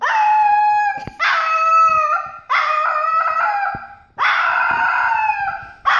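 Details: A Papillon puppy named Louie howls like a baby wolf: four loud, sustained, slightly wavering howls of about a second each, with brief breaths between them, the last cut short, and nothing else audible.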